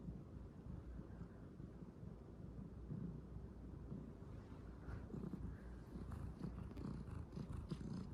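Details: Calico kitten kneading nonstop, purring as it works its paws; a steady low rumbling purr runs throughout, with faint scratchy fabric clicks appearing in the second half.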